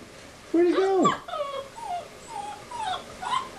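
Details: Bernese Mountain Dog, an adult of six years, forlorn at a window while his owner is away, giving a long high whine that bends upward, followed by softer, fading whimpers.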